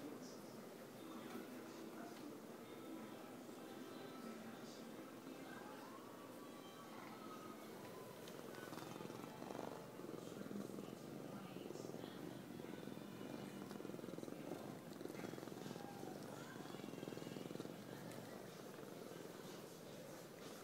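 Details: A young male Savannah cat weighing 17 pounds purrs while self-soothing, part of his everyday ritual. A steady, low rumbling purr runs throughout, with faint voices and indoor room noise in the background.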